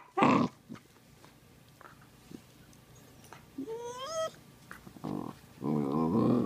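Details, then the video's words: Playful Sheprador puppy (Australian Shepherd-Blue Heeler/Lab cross) indoors, giving a loud harsh growling burst at the start, scattered soft noises, a rising drawn-out whine midway, then a rough sustained growl-moan at the end over low room noise. "Lab puppy making hilarious noises"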